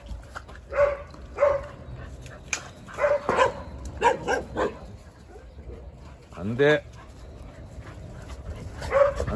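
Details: On a December Saturday morning, Jindo dogs bark in scattered single yaps over about nine seconds. A man's voice speaks between them, saying no repeatedly.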